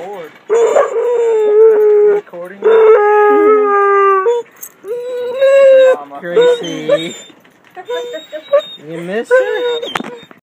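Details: Excited Basset Hound howling as its owner picks it up after vacation, with other household dogs nearby. Long, sustained, mournful howls hold steady pitches for one to two seconds, then break into shorter wavering whines and yelps.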